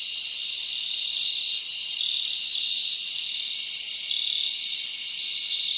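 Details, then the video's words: Crickets chirp through a summer night in the forest, producing a thick shrill wall of sound with brief brighter accents and a steady level from start to end. "Live Crickets Natural Sound"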